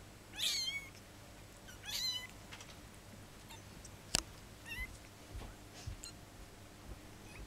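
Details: Kittens just fifteen days old give shrill, wavering mews. Two strong calls come early, then softer scattered squeaks follow, with a single sharp click midway against low background hum.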